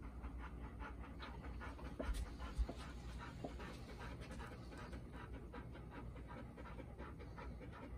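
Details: Panting from Golden Retrievers at home: Bis, four-year-old daughter of Ibuki, uneasy the day after joining Ibuki and Kohaku. Fast rhythmic breaths, about two per second, with a couple of soft knocks and a low hum.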